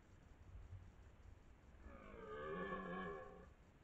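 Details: During the 2023 rutting season near Lartigau, Milhas, in France, a dominant twelve-point red deer stag gives one rising, swelling roar lasting about one and a half seconds, rich in harmonics, after a stretch of low rumbling background noise.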